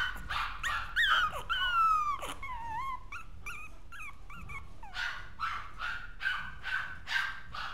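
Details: Freshly born Maltese pups give high, wavering, whistled whines that slide downward, then a run of short yelping squeaks repeated more than once a second, each cry clear and tonal.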